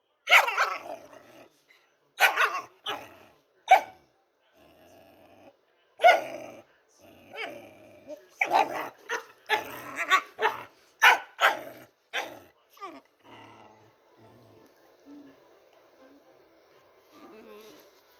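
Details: Pet dog making funny noises: a rapid volley of sharp, punchy barks and yips, irregular and sometimes doubled, easing after about thirteen seconds into quiet, low whining grumbles.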